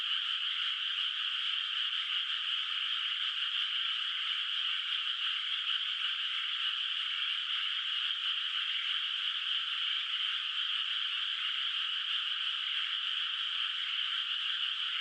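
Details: Countryside rice field under moonlight at night, still unplanted, with frogs calling in the distance: overlapping rapid trills form a seamless, steady chorus, nothing else audible.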